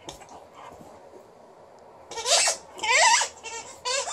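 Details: Liza, a female Alaskan Malamute in a good mood, putting on a little vocal show: after a quiet start, three loud wavering howl-like bursts follow one another, each bending up and down in pitch with rich overtones.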